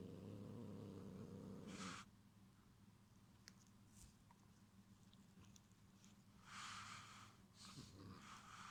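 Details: A cat threatening to protect its string toy from another cat gives a low, steady rumbling growl for two seconds, then a quieter drone under scattered clicks and rustles, and bursts of the owner's laughter.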